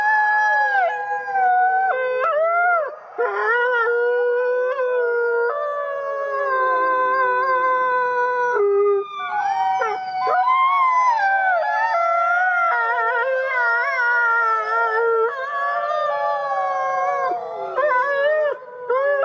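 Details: Long chorus from many captive gray wolves in South Salem, New York: dense overlapping howls with frequent swoops, breaks and wavering pitch, voices starting and stopping throughout without pause.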